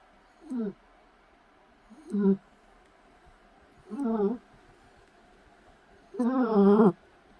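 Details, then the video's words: Sleeping Shih Tzu puppy snoring: four short nasal, wavering snores at roughly two-second intervals, the last one longer and louder. "코골이 시츄강아지"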